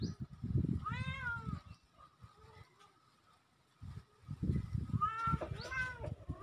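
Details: Young kittens, two of them, recorded October 17, 2024: a rising-falling meow early on, a quiet stretch with faint mews, then another pair of arched calls, with heavy low rustling beneath.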